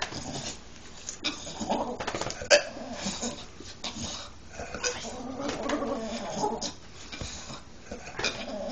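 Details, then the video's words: A dog makes odd, irregular grumbling and snorting noises, mid-pitched and broken into short bursts, when he wants out of bed, with soft rustling underneath. "his odd noises when he wants out of bed"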